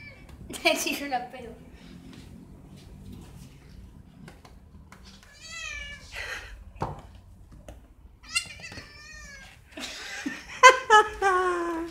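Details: Eva, a female cat, overly excited indoors, lets out two loud wavering meows in the middle stretch, each rising and falling, while a woman talks to her in Spanish before and after.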